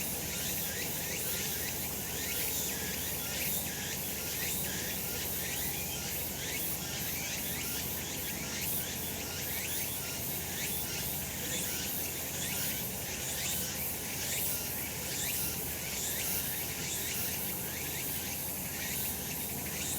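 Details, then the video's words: Summer mountain cicadas in full sun keep up a shrill, continuous drone, with pulsed phrases repeating roughly once a second layered above a constant low hum. "セミの鳴き声 夏の山 日なた"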